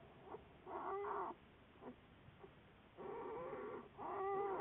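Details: American black bear from a long-term research study, February 10, 2014; short, tonal, moaning calls with clear overtones, two pairs of bursts each lasting under a second, separated by faint clicks and quiet.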